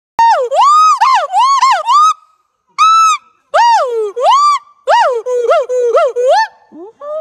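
A monkey gives loud, rich, arching calls that swoop up and down in quick bursts.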